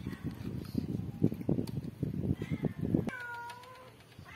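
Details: Domestic cat during a review of Midalac goat's milk for cats and kittens: low rumbling, lapping-like noise, then one short, clear, slightly falling meow near the end.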